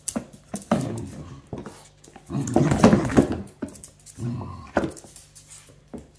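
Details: Corgi playing aggressively with a toy duck held in his mouth, tugging with his owner and shaking his head vigorously indoors; low, rough growling in irregular bursts, with a longer, louder stretch in the middle.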